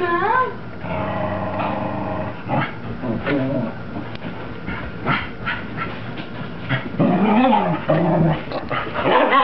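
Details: Female Cocker Spaniel Mocha, running wild with zoomies after her bath, makes harmonic whining calls with rising and falling contours, then rough low growly grumbles that swell and fade across several seconds, with scuffling movement underneath.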